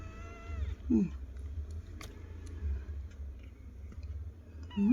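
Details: Kittens responding to their owner indoors, giving short, high, downward-bending mews near the start and a rising one at the end, over a low hum and quiet talk.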